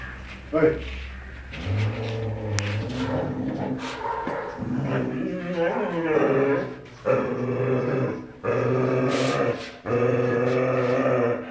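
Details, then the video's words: Pet dog growling: low, rumbling, drawn-out growls in several long stretches, rising into whiny tones in places, with a human voice also present. "DOG GROWL TOO CUTE"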